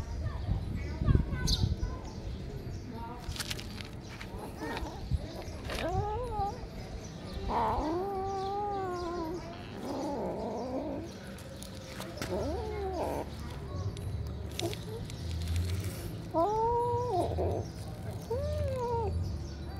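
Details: Three kittens at feeding time, mewing repeatedly: short rising-then-falling harmonic meows, some in quick pairs, a few louder and drawn out, over a steady low rumble and occasional knocks.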